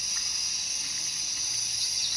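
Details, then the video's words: Cicadas in the background of an outdoor phone camera test: a steady, unbroken high-pitched buzzing drone with a fainter, even higher band above it, continuous for the whole stretch with no other clear sounds. "Nah, kemudian di latarnya ada suara tonggeret ya, suara serangga."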